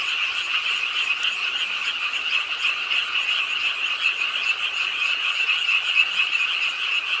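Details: Frogs croaking at the edge of a pond in Ingye Art Park, Suwon, on a rainy late night in a city park: a dense, unbroken chorus of high, rattling trills, with a hiss of rain throughout.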